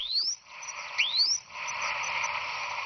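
Dolphins give quick rising whistles that sweep sharply upward, with faint clicks underneath.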